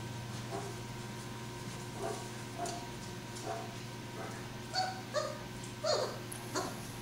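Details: Litter of chocolate Great Dane puppies, dated 7-19-11, gives thin, high-pitched whimpers and yips, about six spaced over seven seconds and growing louder toward the end, above a steady low electrical hum.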